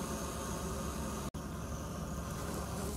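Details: Steady low rumble of vehicle or engine noise with a brief dropout midway, and no animal calls.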